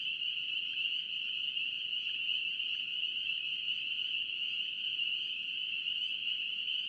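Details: Massed calling of spring peepers from North Carolina, an unbroken high shrill chorus of countless tiny peeps, some rising sharply, with a quiet rumble underneath.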